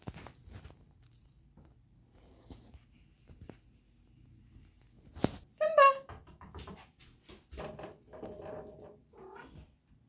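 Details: Male tabby cat indoors in a bathroom, perched by the sink and mirror, gives one loud, short meow that rises then falls, partway through. Soft knocks and clicks come before it, and people talk afterwards.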